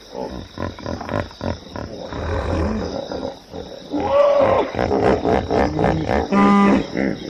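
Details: A hippo gives choppy, pulsing grunts that build into louder, tonal honking bellows in the second half. The calls have a rising, wavering pitch, and a short steady hum closes the sequence.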